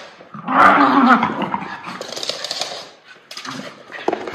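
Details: Miniature Schnauzer brothers Levi and Lucky wrestle energetically just after their haircuts. A throaty, rumbling growl swells early, then breaks into ragged snarls and scuffling noises.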